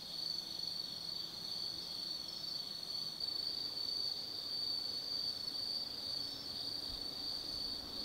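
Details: Night chorus of autumn insects at Tsukimi no Mori in Kaizu, Gifu, Japan, a wooded hillside overlooking the Nobi Plain; a continuous shrill high-pitched ringing trill, nearly unbroken, with several overlapping singers.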